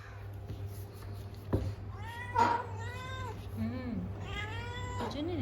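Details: Tom cat meowing indoors: two drawn-out, harmonically rich meows, the first rising then falling, the second longer and wavering, followed by a low murmuring sound near the end.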